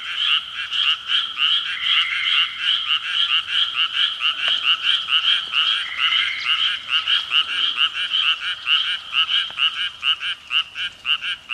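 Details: Evening frog chorus at 6 pm: several callers trade quick, clicky croaks in fast pulsed bursts, the rhythm uneven as voices overlap, with a slightly fading end.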